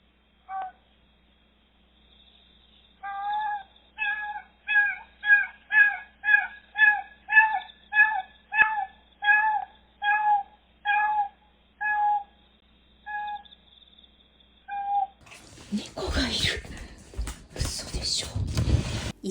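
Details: Brown tabby domestic cat, likely a stray seen nearby a week or two earlier, meowing outside a house in the mountains: a steady run of about fifteen clear, tonal meows, roughly two per second, followed by rustling and handling noise.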